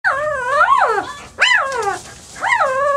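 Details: German Shepherd puppies from a litter born 9 February 2012: three high, whining cries with rising then falling pitch and rich harmonics, the first long and wavering, then two shorter rise-fall whimpers about a second apart.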